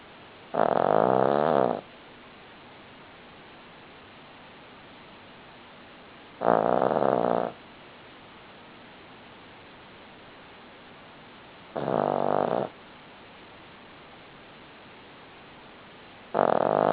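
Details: Sleeping Cavalier King Charles Spaniel named Buddy snoring. Four rasping, droning snores of about a second each come at a slow, even pace every five to six seconds, with near-silent gaps and a low background hiss between them.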